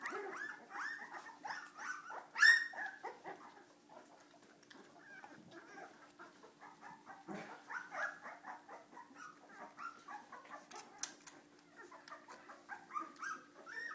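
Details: A litter of Cardigan Welsh Corgi puppies being naughty, continuous busy yapping and squealing whines from many pups at once, with one sharp yelp early and a low hum throughout.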